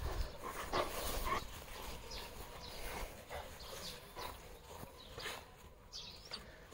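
Greek Shepherd dogs give a series of short, harsh barks, repeated roughly every half second.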